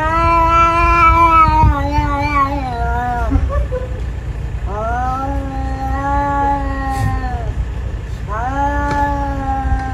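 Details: Cat (Felis catus), yowl.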